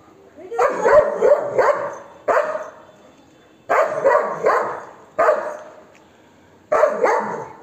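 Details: Golden Retriever barking aggressively to drive off monkeys: a rapid opening burst of three barks, then single harsh barks spaced about one and a half seconds apart, loud and gruff throughout.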